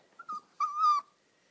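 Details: Daisy, a poodle puppy digging under the couch after her ball, gives a short high whine, then a longer steady whimpering whine lasting about half a second, clear and close in a quiet room.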